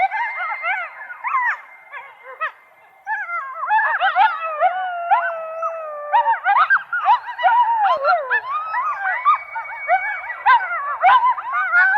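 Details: Excited chorus of coyotes: rapid rising and falling yips tumble over one another, with a long sustained howl threading through the middle; a brief lull near three seconds before the frenzy resumes.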